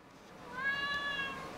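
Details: Talkative female Siamese cat indoors, meowing in reply to its owner's questions; one drawn-out, slightly arching meow lasting under a second, with the owner's voice just before and after.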